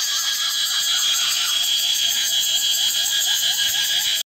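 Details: Cicada chorus in Phuket, heard as a morning alarm clock: a loud, steady, shrill buzzing hum.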